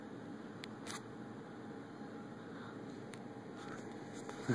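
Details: Quiet indoor hum with steady high electrical tones, a few soft clicks and a faint bump at the end, with no animal voices.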